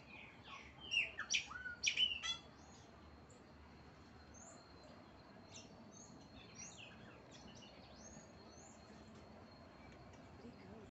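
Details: Marmosets being fed give a quick burst of shrill, twittering chirps, then softer scattered high peeps.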